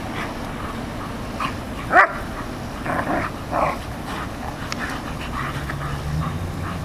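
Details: Dogs Rocco, an Airedale Terrier, and Molly, a Labrador, outdoors: one loud sharp bark followed by softer, muffled yips and grumbles against a constant low hum.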